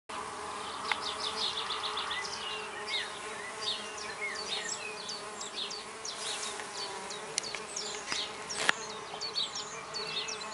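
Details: Six female red orchard mason bees, back-garden solitary bees, starting work at a new recycled-oak nest block drilled with 8mm holes; a steady low buzzing hum runs throughout under busy chirping birdsong.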